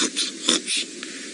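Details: A young leopard feeds on the remains of a steenbok, munching on bone or skin with soft, irregular crunching and rasping, during an afternoon-to-evening drive at Djuma Game Reserve, South Africa, on April 29, 2018.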